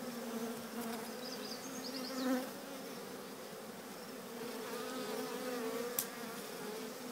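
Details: Steady droning of a swarm of bees walking into their new home, The Cathedral Hive, briefly swelling louder mid-clip, with high bird chirps early on and a sharp tap near the end.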